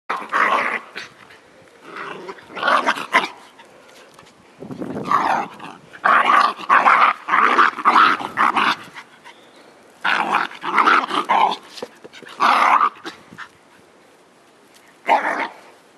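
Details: Scottish Terrier puppy attacking a giant tennis ball, making rough, noisy growls in bursts of about a second, with several clustered runs between short quiet gaps.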